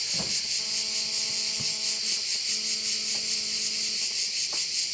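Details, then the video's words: A loud, unbroken insect chorus of crickets by a bay on the island of Korčula, Croatia. The piercing buzz throbs rhythmically, while a steady low humming tone comes and goes, with a few faint clicks underneath. "Korčula - view of one of the bays in Korcula with sounds of crickets"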